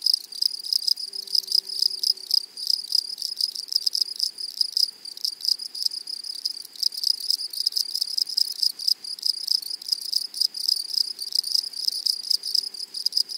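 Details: Grasshoppers in a flowery meadow: loud, high, dry rasping stridulation in rapid broken bursts, pulsing on and off roughly every half second over a steady thin high whine, with no other clear sounds.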